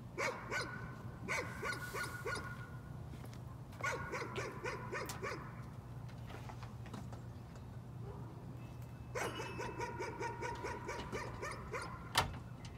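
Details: Repeated nuisance barking by a dog: clusters of quick, sharp barks separated by short pauses, with a low constant hum and a click near the end.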